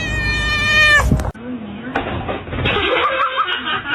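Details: Domestic cat from a compilation of funny cat moments gives one drawn-out, harmonic-rich meow lasting about a second, then the scene cuts abruptly to people talking and laughing.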